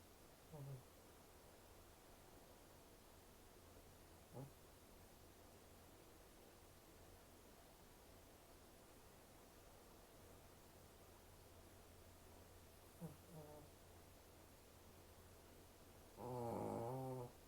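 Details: Sleeping Shih Tzu, a brachycephalic breed with a short snout, snoring: several faint, brief snorts spread across long quiet pauses, ending in one louder, longer, rattling buzzy snore.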